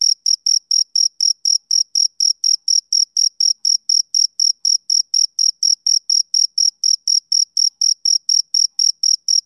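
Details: Male cricket on a summer evening chirping steadily: short, bright, high-pitched pulses repeated about three to four times per second with a faint higher overtone. The background is otherwise silent, with no other animals or noise.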